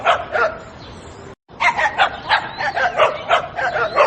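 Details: A small dog barks in quick, high yaps, about three per second, with a short silent gap after the first few.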